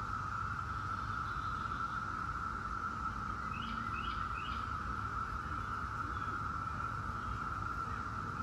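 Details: Steady monotone hum from a Brood X chorus of 17-year periodical cicadas, unchanging across the whole stretch, with three quick faint bird chirps in the middle and low background noise.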